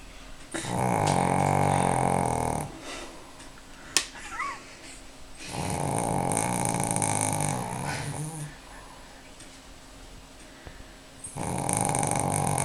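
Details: Pekingese, four years old, snoring during a Sunday afternoon nap indoors: three long, rasping, rattling snores about two seconds each, alternating with softer exhalations and quiet gaps.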